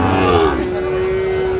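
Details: A brief bellow from a Sahiwal bull at a busy cattle market, 31 January 2025: the call starts slightly higher, dips, then holds a steady low tone, with faint market chatter behind.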